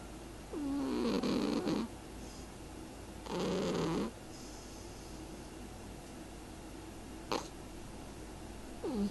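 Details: Lady Pumpkin, a pet cat, snoring: two drawn-out, wavering voiced breaths about two and a half seconds apart, each lasting around a second, then a quiet stretch with one brief click.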